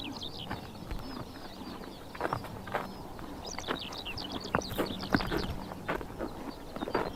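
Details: Horses grazing on a summer morning in Tuv province, Mongolia, tearing and chomping grass in irregular crunchy bursts, while many small birds chirp and twitter steadily and a low constant hum runs underneath.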